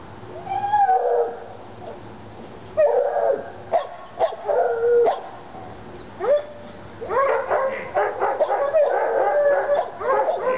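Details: North Carolina Treeing Walker Coonhounds Lady and Cooper worked up over a coon skin: a long wavering howl, then bursts of ringing barks that build into overlapping bawling from both dogs toward the end.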